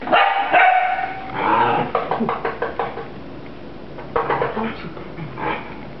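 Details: Puppy attacking a broom: a drawn-out whining yelp opens, then a rapid run of short, choppy barks about two per second, fading and returning as a person urges it on.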